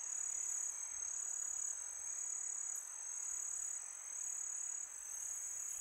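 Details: Crickets on a peaceful summer night, a steady high-pitched continuous trill holding one sharp tone throughout, with a soft hiss of wind beneath and a faint brief dip in loudness near the end.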